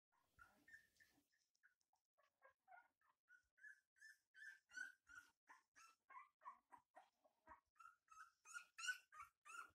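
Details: Kuvasz puppies giving a steady stream of high, squeaky whimpers and yelps, short tonal calls repeated about three times a second, growing louder and busier toward the end.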